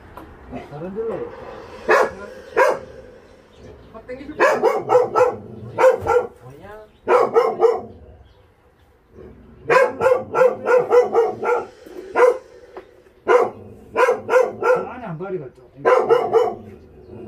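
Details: Dogs from Ulsan's Narae-ul shelter, South Korea, barking while volunteers transport them: rapid bursts of three to six barks separated by short pauses, with a man's voice talking quietly between the bursts.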